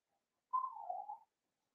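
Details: Seven-week-old blenheim Cavalier King Charles Spaniel puppy, one of a litter of five born at New Year, in an indoor puppy pen. A single short, high whistled whimper that slides downward and wavers, then stops, in an otherwise quiet room.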